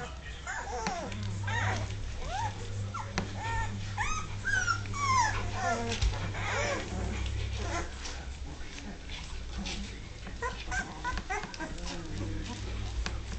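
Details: Two-and-a-half-week-old Dogue de Bordeaux pups finding their feet indoors give a run of high squeaky whines and yips, densest in the first seven seconds, with human talk and low background hum throughout.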